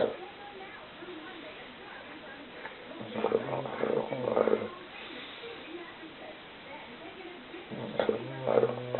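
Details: An exhausted English Bulldog with a full stomach snores in rough, rumbling bursts, each breath rattling low before fading away.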